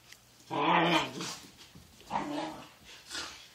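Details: Sakura and Taki, two dogs at morning play: a loud voiced growl-bark with clear harmonic tone lasting half a second, a second shorter growl after a pause, then a faint third burst.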